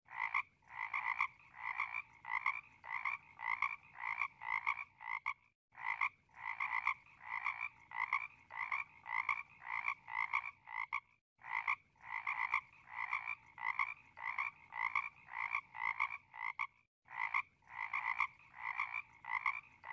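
A frog gives rapid, rattling croaks in short bursts, again and again with brief pauses.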